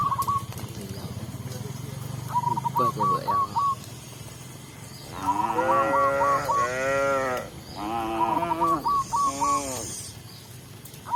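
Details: Tame cows being led back to the pen by a village shepherd; two long, drawn-out harmonic moos in the second half, with rapid, repeated high chirping before and between them.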